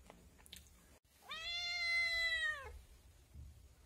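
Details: Kitten giving one long, steady meow of about a second and a half that drops slightly at the end, in a quiet indoor setting.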